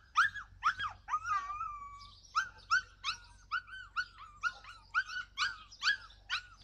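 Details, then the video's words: Yakutian Laika, July 2020, calling with a steady series of loud arched yelps about twice a second, broken early by one long flat whine, all with bright overtones. "Yakutian laika"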